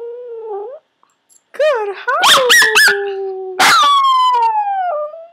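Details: Yorkshire Terrier learning to howl on command through shaping: a thin drawn-out note, a pause, then bursts of rising and falling yodelling howls with sharp yips, ending in a long descending wail.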